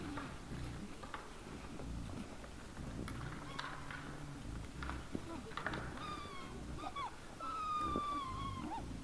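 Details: Boars in front at 20:17 on 17 December 2022: a steady bed of low grunting, then thin drawn-out squeals from six seconds on, the longest a level whine near the end.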